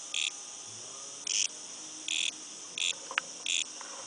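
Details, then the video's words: Cicada heard outside a house: five short, rasping high buzz bursts spaced irregularly over about four seconds, with a steady thin drone between them and a brief click. "cicada out side our casa"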